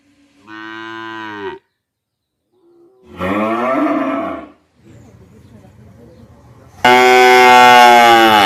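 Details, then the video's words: Several calf moos in sequence: a short harmonic moo, a wavering falling one, a quiet rough stretch, then a loud, bright, sustained bawl at the end. "Cute Baby Cow Sound Mooing compilation 2025"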